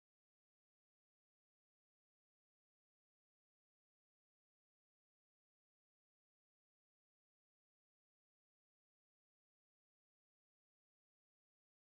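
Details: Complete silence from start to finish.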